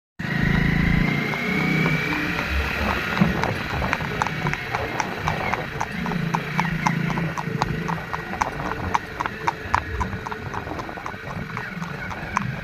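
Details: Owner's horse ridden on a Sunday outing in Narnaul, India: steady clip-clop hoofbeats, about four strikes per second, sharp and even over a low rumble, with a brief rising tone near the start.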